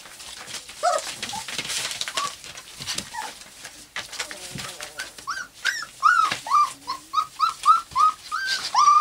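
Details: Four-week-old cream golden retriever pups whining indoors; scattered soft squeaks early, then a steady series of short, high, downward-bending yelps repeated about twice a second toward the end.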